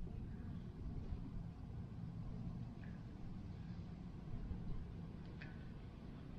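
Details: Low, steady vehicle rumble, like a car driving, with a few faint clicks and no animal calls.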